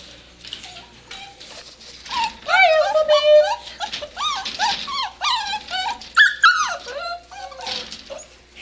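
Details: Seven-week-old dachshund-basset mix puppies at play indoors, giving a busy run of high whining whimpers and squeals that rise and fall, overlapping in quick bursts, with a person's voice mixed in.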